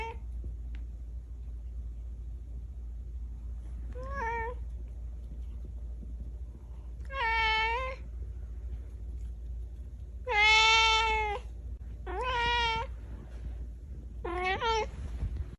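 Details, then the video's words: Kitten meowing indoors: a series of five short, clear meows, some rising and bending downward, separated by gaps of one to three seconds, with a constant low background hum. "Kitten Sounds: Adorable Cat Meowing Voice"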